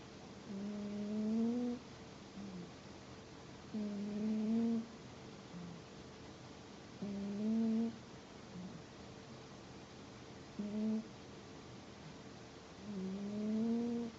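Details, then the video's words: Pet cat asleep and snoring, five steady whistled snore tones about a second long, repeating roughly every three seconds, each low, humming and gently rising, over a quiet indoor background. "my cat snores.....!"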